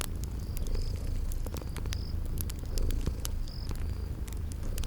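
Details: Low, even purring from sleeping cats by a fireplace in spring garden ambience, punctuated by crackling pops and occasional brief high chirping notes.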